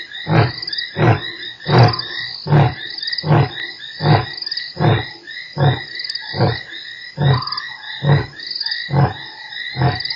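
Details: Lion roaring at Nkorho on 3 March, one of eight roars within an hour, the first of over 40 peaks. Deep, rhythmic grunts repeat roughly once per second, about thirteen heavy pulses, each sliding down into breathy rumbles.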